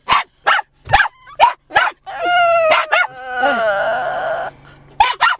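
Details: Excited rescued Japanese Chin named Chey, 7 lb, in a parked car before a walk in the local park. Several short sharp barks from the other dogs, then a long, sustained, wobbling whine that bends up and down.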